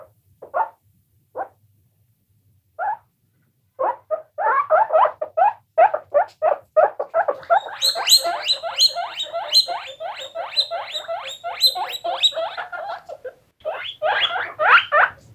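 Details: Several guinea pigs squeaking: a few separate rising squeaks at first, then a dense, fast run of bright wheeks, about three a second, with overtones reaching high up, pausing briefly before another burst.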